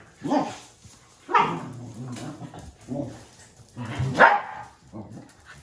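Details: Welsh corgis from a household of four, Lincoln, Mary, Tad and Ad, barking indoors: four loud, full-toned barks spaced about a second or so apart, the last one strongest, with low rumbling vocal sounds between them.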